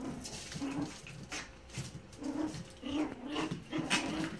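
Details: Yorkshire Terrier puppies playing, one objecting to another getting on her back: short low whining grunts and whimpers repeated about every half second, with soft rustling and background noise.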